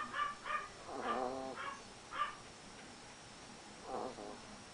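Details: Several Yorkshire Terriers gathered in a washroom, snoring while they wait for their owner to come out of the bath; short nasal, whiny harmonic squeaks in about five irregular bursts over under five seconds, over steady background hiss.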